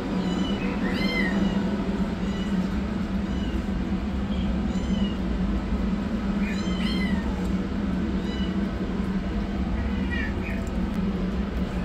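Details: Tiny rescued yellow kitten running for food, a black kitten beginning treatment; bursts of piercing, arched meows cluster in quick runs near the start and middle, then sparser cries, over a continuous low humming drone.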